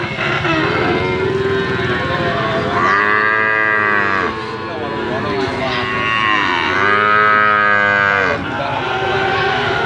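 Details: Limousin cattle calves offered for sale, lowing in long drawn moos of about one and a half seconds, several overlapping, with a steady background hum.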